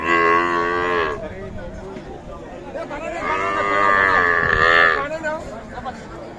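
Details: Cows with calves at the Ambari cattle market in Parbatipur, Dinajpur, Bangladesh, recorded 15 December 2023: two long, loud harmonic moos, the first about a second, the second drawn out near two seconds and rising then falling, over market murmur.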